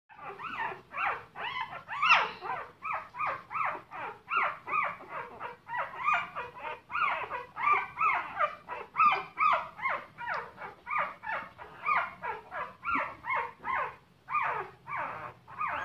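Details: Several puppies crying together in a dense chorus of short, high whimpering yelps, overlapping and repeated about twice a second without pause, some rising and falling in pitch, with a faint low hum beneath.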